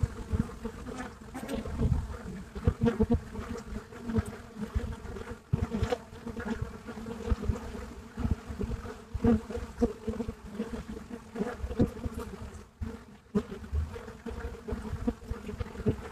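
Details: Buckfast bees filmed live at the entrance of their hive in Brittany, France; a loud continuous humming drone with pulsing harmonic bands and frequent close fly-by buzzes throughout.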